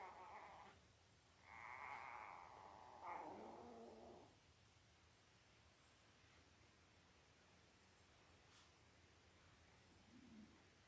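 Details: Belle's five-day-old Labrador Retriever puppies, eight born October 15, 2023, let out a few wavering squeaky cries in the first seconds, then fall mostly quiet with a faint low whimper near the end.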